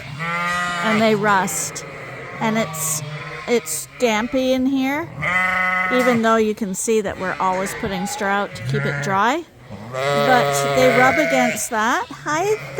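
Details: Suffolk lambs racing around a barn after escaping and mixing into one group, calling in repeated shaky, wavering bleats of varied pitch, while a person's low voice talks in the background.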